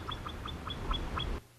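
Himalayan marmot alarm call: six clipped, whistled chirps repeated quickly, about five per second, each with a sharp ringing edge. A low steady hum sits beneath the calls, which end abruptly.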